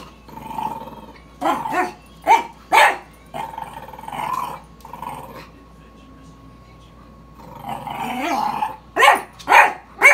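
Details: A French Bulldog barks at a sweeper, giving short, rasping barks in quick succession separated by low, throaty growls over a steady mechanical hum.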